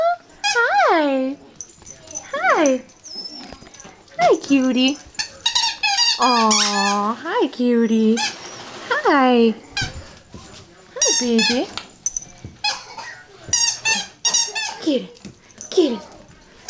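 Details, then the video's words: Playing Yorkshire Terrier puppies produce repeated falling whines and squeaky yelps in short bursts, some drawn out and wavering, with a woman's voice chatting to them between the calls. "Adorable Yorkie Puppies at play"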